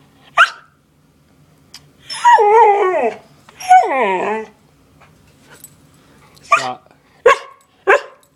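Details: Siberian Husky throwing a fit over food indoors: short sharp yips, two drawn-out wavering howling whines about a second each, then three quick yelps, with a person's voice between.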